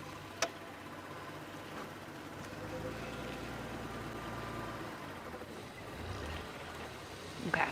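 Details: Safari sunset drive with a vehicle engine idling, faint distant speech and a few clicks and knocks, with no animal sound heard.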